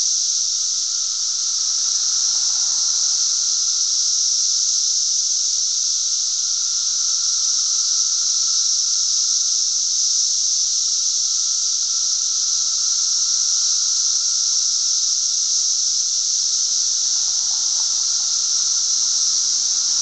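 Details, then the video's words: Massed cicadas calling in Glen Ellyn, Illinois, June 10 2007, a continuous high-pitched sizzling drone at constant loudness, a weaker lower hum beneath, and brief faint low sounds early and late. "cicadas making a lotta noise"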